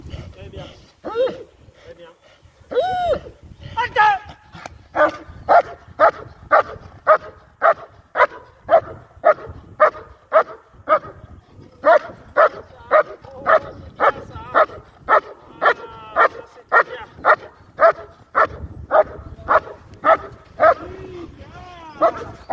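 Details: German Shepherd in IGP competition training gives a long, steady run of sharp, loud barks, about two every second, with a few whiny yelps at the start and a faint voice underneath.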